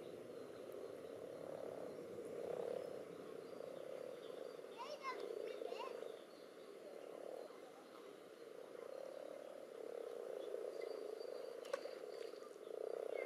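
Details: Common toads and other frogs tumble together in spawning water; continuous rolling low croaks surge in bursts lasting about two seconds, with a few brief high chirps and clicks over the chorus.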